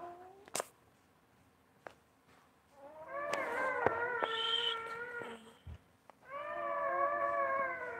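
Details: Basset Hound mother tending her newborn puppies: drawn-out, wavering whines with rich harmonics, one running from about the third to fifth second and another near the end, preceded by a short higher whine and a few soft clicks.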